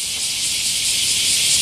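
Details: Bear cicadas chorusing in summer among large camphor trees at Daitokuji Park, Nagasaki, Japan: a dense, steady, high hiss with no break in this short stretch.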